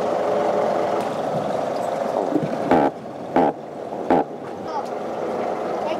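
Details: A white croaker (Pennahia argentata) freshly caught by a boy fishing on a summer morning at Muchangpo Port, Boryeong, Korea, gives three short, harsh croaks made by inflating its swim bladder, over a steady hum of boat and water noise.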